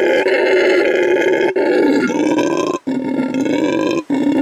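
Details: A male red howler monkey, rescued from animal trafficking and brought to an animal refuge in Bolivia, gives a deep, rasping, sustained roar, broken only by brief breaths, to mark territory at his new home.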